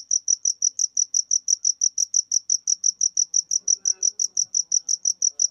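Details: Cricket chirping in a steady, rapid series of short, high pulses, roughly five per second, with no pauses; faint low murmurs in the background.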